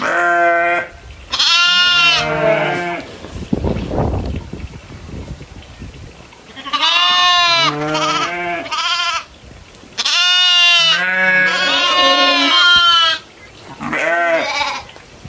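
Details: Goats herding and grazing among other farm animals in open fields; repeated loud, quavering bleats in groups of overlapping calls, with a brief burst of rustling noise between them.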